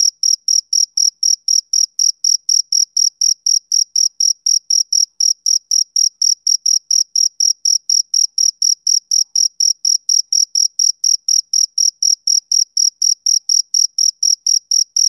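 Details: Male cricket chirping, summer evening: a fast, even train of piercing high chirps, about four each second, each with a faint upper tone, against complete quiet.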